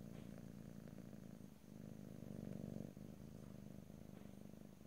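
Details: Pet cat purring up close, a low vibrating rumble that swells louder in the middle before a brief break, then continues evenly; quiet room with no speech.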